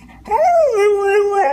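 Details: Dog asked to tell about the coyotes gives a long, wavering howl that rises, dips, then holds a level tone before a brief upturn at the close; no other sounds stand out.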